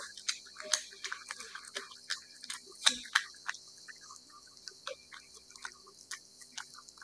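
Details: Cat eating wet food indoors, a rapid run of wet smacking and licking clicks, roughly three per second and irregular, with sharp crisp transients and a soft hiss behind them.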